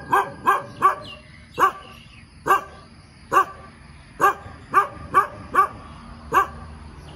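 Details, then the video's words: Morning barking from a dog that barks a lot: about thirteen loud, clipped barks, some in quick pairs and others spaced up to a second apart, over faint background noise. "เสียงหมาเห่าตอนเช้า เห่าเก่งมาก"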